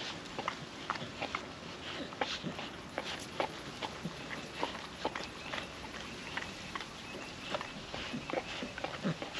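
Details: Young female puppy eating wet food from a food mat on a windy day, steady stream of sharp wet smacks, licks and chomps, several per second in irregular bursts, over a soft constant background hiss.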